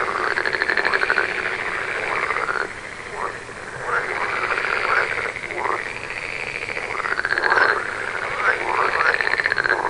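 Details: A chorus of frogs gives pulsed, rattling calls that swell and sag in arching phrases, each lasting one to two seconds. New bursts come roughly every two to three seconds over a constant background hum of more callers.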